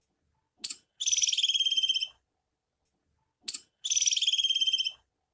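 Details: A female squirrel gives a high, rapid chirping trill, repeated twice, each burst opening with one sharp note; the call is said to be a mating call.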